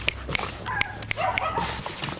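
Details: Three-month-old male bulldog puppy: short, thin whining squeaks mixed with sharp clicking taps, with a brief rising whimper near the middle.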